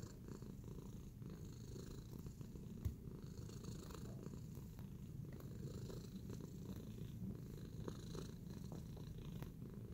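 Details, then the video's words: Relaxed and kneading, the cat Tacy gives a long, even purr, a deep buzzing rumble that holds without pause, with a single soft tap near the third second and faint rustling above. "Tacy Cat in a Relaxing Kneading Mood"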